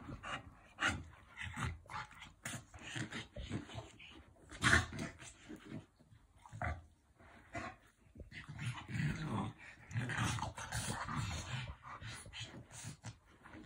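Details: French Bulldog; play growl; play fighting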